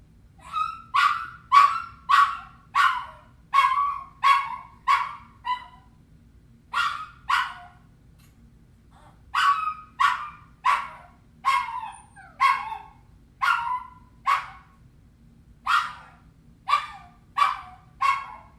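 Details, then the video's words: Lonely puppies crying after being left alone, giving short yelping cries in quick runs of three to five, each a sharp whine with a falling tail, brief pauses between bursts, otherwise quiet background. "Puppy Crying Sound Effect"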